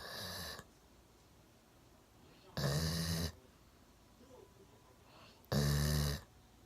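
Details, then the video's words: Golden Retriever Milo, aged one, dozing deeply on a sofa, chin on a table. Three long, rumbling snores with a low droning buzz come about every two and a half seconds. "ゴールデンレトリバー いびきをかいて大爆睡"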